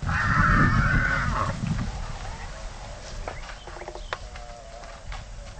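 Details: Two wild Konik horses fighting in the Oostvaardersplassen wetland nature reserve below sea level, Netherlands: one loud, harsh, strained squeal lasting almost two seconds, then quieter short clicks and thuds over a noisy background.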